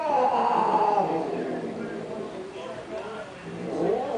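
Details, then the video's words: Cats fighting over a car, trading drawn-out, wavering yowls with a steady harmonic wail that swells and fades, dips mid-clip, then rises again, over a murmur of background noise. "Lawak Giler Kucing Bergaduh Berebutkan Kereta"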